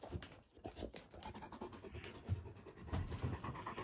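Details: Great Pyrenees indoors in Mother's room, where the male Alain eyes a mysterious white dog that is his own mirror reflection; soft, breathy, uneven panting puffs, quiet and close, with faint household rustle.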